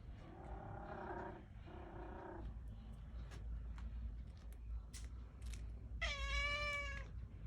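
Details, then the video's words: Kitten out in the cold, wanting in yet frightened of the household cat: two lower, hoarse drawn-out cries early on, a quiet stretch with faint clicks, then one short clear high meow near the end over steady low rumble. "A new kitten want to come inside my room but he was afraid with my own cat"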